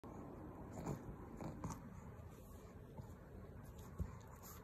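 A pug snorts and snuffles in low, rough bursts that sound like a pig's grunting.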